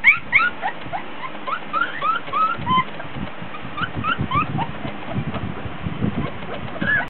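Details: Litter of 3-week-old Border Collie puppies whining and fussing during play with toys in a whelping box; steady stream of short high squeaks and upward-sliding whimpers, with low rustling and bumping underneath.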